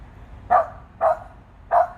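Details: Jenny, a pet dog, barking up at a big bird high in a tree: three short, sharp barks about half a second apart, with a faint low hum behind.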